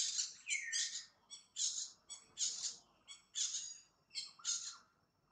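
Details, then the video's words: Monkey calls near the pregnant mother Jane: six harsh, high, noisy screeching bursts, each with a few quick pulses, repeated roughly every 0.8 seconds. The last burst trails into a short, steady whistled tone. "MONKEY SOUND"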